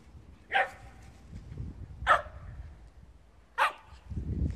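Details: Blue merle Shetland Sheepdogs, three brothers living in the countryside, two running about while one waits lying down. A dog gives three sharp, bright barks about one and a half seconds apart, with low rumbling and thumping noise between them.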